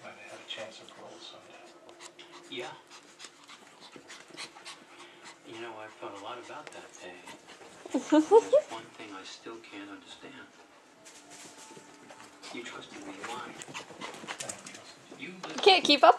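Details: Bella, a pet dog, at play with new puppy Skyler: quick panting and rustling, a burst of squeaky whimpers midway and another loud whiny yelp at the end, while people talk in the background indoors.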